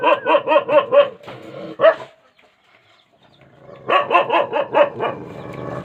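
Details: Rajapalayam dog giving bursts of quick, ringing barks, then a quiet gap of about two seconds before another run of rapid barks resumes.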